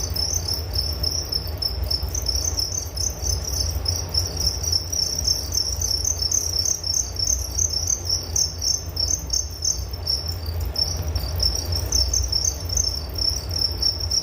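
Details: Crickets trill on and on in a soothing bedtime nature recording, rapid high-pitched pulses forming a steady band with short gaps, accompanied by a low droning hum.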